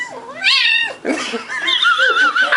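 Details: Young domestic kitten vocalising indoors while eating and being petted: a drawn-out wavering yowl that bends down then up, a short break, then a second warbling, tremulous whine with a squeaky, nasal tone.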